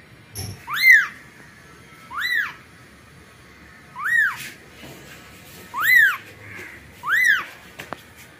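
A newborn kitten calls for its mother with five high, thin mews. Each cry rises and then falls, and they come about every one and a half seconds against a quiet background.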